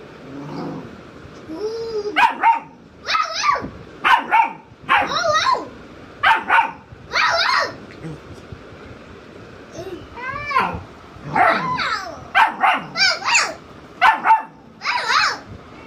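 A Rottweiler puppy tries to howl, producing short, breaking yelps and wavering whines about once a second.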